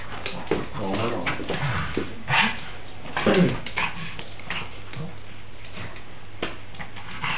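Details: A pug named Molly playing and fighting with a horse doll indoors, giving short whimpering yips and grunts at irregular intervals, with bumping and rustling of the toy and steady background hum.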